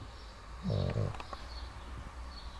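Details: A six-year-old Pug snoring early in the morning, one low, rumbling snore lasting about half a second, followed by quiet breathing and faint background hiss.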